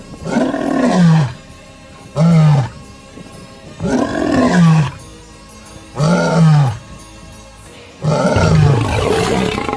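A lion roars in a series of deep, rumbling bursts, each swelling and falling over about a second. The powerful calls repeat about every two seconds, with faint music underneath.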